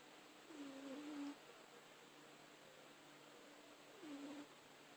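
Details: Sleeping cat Rupert snores gently, each breath giving a faint whistled nasal tone that dips and levels off, two snores about three seconds apart, in a hushed indoor room.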